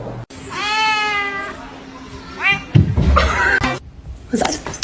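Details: House cat meowing twice, a long slightly falling meow and then a short one, with people talking and laughing and music in the background.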